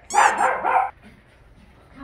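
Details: Coton de Tulear or silver poodle, females born in 2019, reacting at a reunion with someone remembered from puppyhood: a single loud, harmonic-rich bark or yelp under a second long, then quiet.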